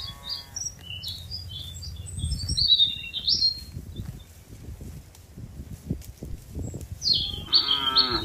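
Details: Tame cattle being herded from a wide green field toward their pen. A low, drawn-out moo fills the first two seconds and a second harmonic bellow comes near the end, over bright chirping birds and trampling hooves.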